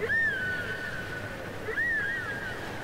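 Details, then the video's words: Whale song units copied from cassette: a high, pure whistled tone rises sharply, then holds and sags slowly, twice in succession, with faint overtones and a quiet hissing background. "Les chants secrets des baleines"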